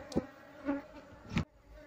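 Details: Colony of Asian honey bees being relocated from a hole in a log, the queen still hidden in the wood's gaps; a continuous low buzzing drone broken by two sharp knocks of handling.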